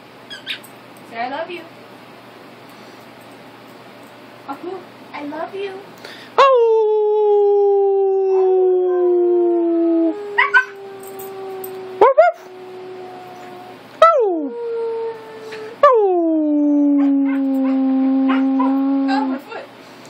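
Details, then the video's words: A Siberian Husky, encouraged by its owner to make noise, gives long, drawn-out howls that start high and slide down into a steady tone. "Siberian husky howling"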